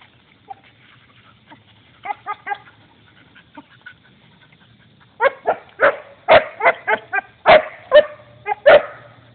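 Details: Belgian Shepherd at play with a turtle: a few soft, scattered yaps at first, then a burst of rapid, loud barks in quick irregular succession through the final seconds, with faint low hum beneath.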